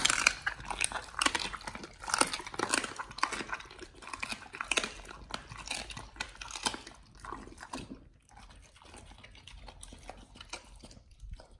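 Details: Raw-fed dogs crunch through raw chicken breast and duck feet, steady moist chewing and bone crunches for about seven seconds, then quieter, sparser bites.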